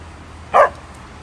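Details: Chow Chow puppy, a stray being brought food, gives a single short yelp-like bark lasting about a quarter second, over a low background hum.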